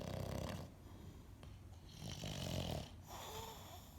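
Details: A pet dog named Piglet, said to act like a pig, snoring while asleep indoors: rough breathy snores in a fast uneven rhythm, with a loud rasping stretch at the start and another around the middle.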